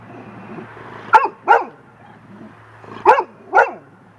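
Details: Young golden retriever named Lacy, out on the deck and frightened by a big feather drifting in the wind, gives two pairs of quick barks about two seconds apart over a low steady hum.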